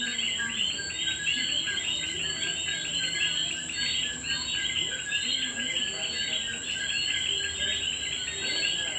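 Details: At night in Puerto Rico, many common coquis (small tree frogs) call together in a loud, continuous chorus of bright, quick chirping notes that blur into one another, over an unbroken high-pitched insect drone.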